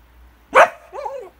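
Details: Female Border Collie at medicine time, barking on a command to speak: one sharp, loud bark, then a shorter wavering yelp that rises and falls. The room is otherwise quiet.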